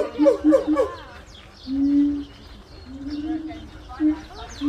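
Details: Gibbon calling for territory and family ties, somewhat distant: three quick bouncing whoops, then drawn-out level hoots and a few scattered short notes.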